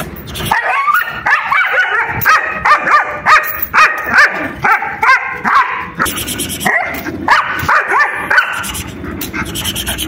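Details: German Shepherd filmed in an attack scene, barking rapidly in bursts of ringing, harmonic barks roughly every half second, a short pause after six seconds, then more barking over steady background hiss.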